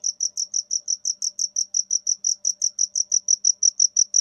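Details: Cricket giving fast, even, high-pitched chirps, about five or six pulses each second, in an otherwise quiet setting.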